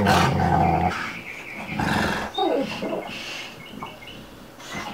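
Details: Two dogs at play, Bubba, a two-year-old American Bulldog, and Ruby, a five-month-old Dogue de Bordeaux: deep rumbling growls and rough throaty snarls come in loud bursts, dropping quieter toward the end.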